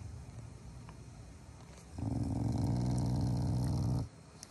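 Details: Pet Shiba Inu growling as an affectionate morning greeting to its family, not angry; one low steady rumble lasting about two seconds after a softer quiet lead-in.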